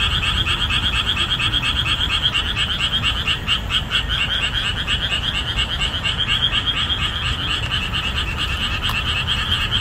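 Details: Boreal digging frogs calling hard in summer marshland just after the rainy season ends: a dense, rhythmic chorus of many overlapping nasal croaks repeating rapidly, over a steady low rumble.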